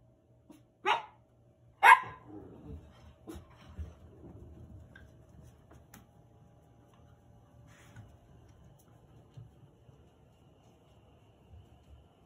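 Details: Cavalier King Charles Spaniel puppies indoors; two sharp, high yipping barks about a second apart near the start, then quiet room noise with soft shuffling.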